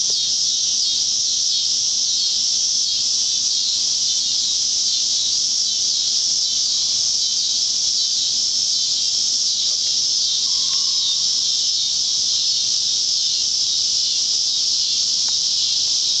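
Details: A deafening neighbourhood chorus of many cicadas at sunset in Oklahoma: an unbroken, high buzzing hiss that holds steady from start to finish.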